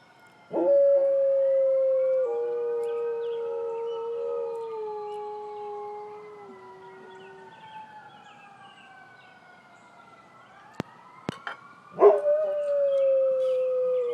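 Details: Dog howling in response to a passing ambulance siren: a long, steady, tonal howl that gradually slides lower, then a second howl rising sharply near the end, with the wavering siren audible underneath throughout.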